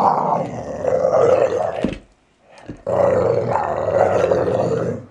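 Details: Valley Bulldog Archie, a male aged just over three, snarling and growling in play; a rough, throaty growl nearly two seconds long, a short silent break, then another long rumbling growl.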